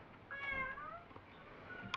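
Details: Me, a domestic cat talking with its owner, whose meows are said to mean play, going out or in, or protest; one drawn-out harmonic meow sliding downward, then a brief click at the end.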